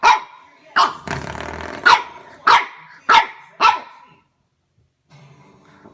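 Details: French Bulldog puppy indoors barking at a door stopper: rapid sharp yaps roughly every half second, a rattling scuffle between the first barks, then silence and faint low noise.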